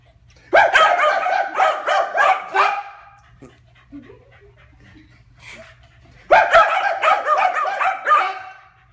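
Corgis bark together on command in a rapid volley, fall silent at once, then start again.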